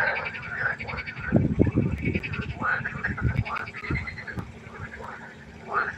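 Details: By a pond at night, several frogs give rough, rapid croaks with slurred, dropping notes, overlapping in a busy chorus with low thumping sounds underneath.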